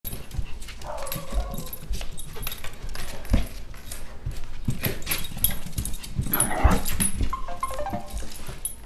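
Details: Pet puppy play fighting indoors, giving low rough growls with a brief whining tone early and a louder scuffling outburst later, amid steady thumping and rustling.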